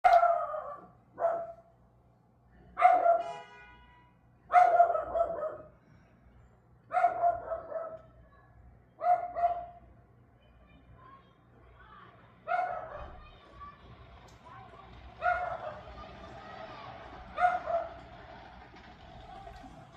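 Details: Dog barking on May 18 at 6:44 pm: about nine loud, harsh, ringing barks in uneven bursts, some doubled, spaced one to three seconds apart, with later barks growing fainter over a low steady hum.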